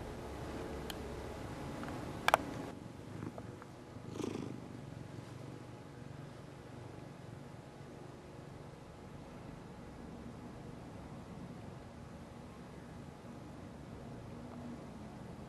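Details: Three-year-old male mackerel tabby cat named Toshiro purring softly while being rubbed and kneading his catnip-infused knit pillow; a quiet, even low rumble after a couple of brief sharp clicks and a short rustle near the start.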